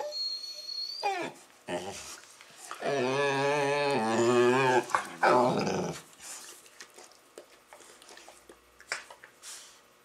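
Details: Funny noises from Labrador Retrievers playing with a Rottweiler puppy: a few short yips, then a rolling, wobbling growl-moan of about two seconds, a rising whine-like burst, and scattered scuffling and thuds afterwards.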